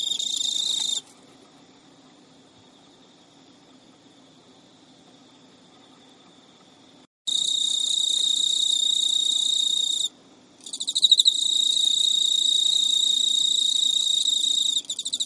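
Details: Pet male Emma field cricket courting an unreceptive female at midnight in early September 2011, Japan; a short high chirping burst, several seconds of silence, then loud sustained shrill trilling with one brief pause.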